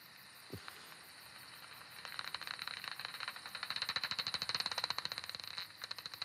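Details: Common pipistrelle; hunting buzz; final approach to capture an insect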